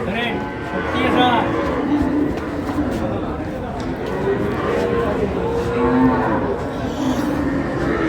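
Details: Cows and calves at Ambari cattle market, a livestock haat held twice weekly, on a Monday; low drawn-out moos rise and fall among a busy crowd, chatter and traders' voices.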